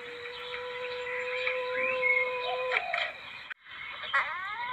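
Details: Palm civet call used to lure civets: a held tonal note for almost three seconds ends in a brief rough burst. After a short gap come rising, stacked notes, with bird chirps behind throughout.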